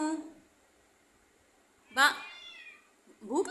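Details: Cat meowing indoors: a short, bright, rising-then-falling meow after a pause, then a second meow starting at the end, following a brief burst of a woman's voice.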